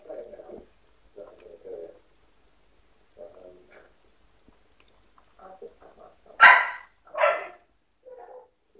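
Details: American Bulldog puppy acting timid, giving soft whimpering whines in short bursts, then two loud sharp yelping barks near the end and a final quiet whine.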